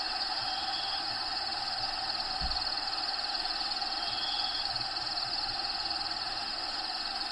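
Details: Crickets inside an actual bearded dragon vivarium, home of a bearded dragon named Diego: a steady, high, rapidly pulsed trill runs without pause, with faint short whistled tones now and then over a constant hiss.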